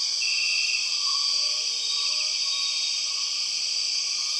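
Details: In Borneo's rainforest, empress cicadas, the 6 o'clock cicadas, keep up a dense, shrill whining drone at constant volume; a short higher whistle rings out near the start and faint lower whistled notes follow beneath.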